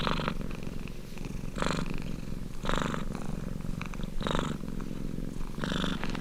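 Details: A domestic cat purrs close up, a low rumbling hum punctuated by harsher, hissing breath surges about every 1.3 seconds, five in just over six seconds.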